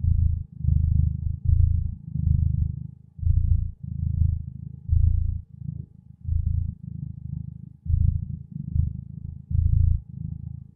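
A domestic cat purrs steadily, a deep rumbling hum pulsing in and out with each breath.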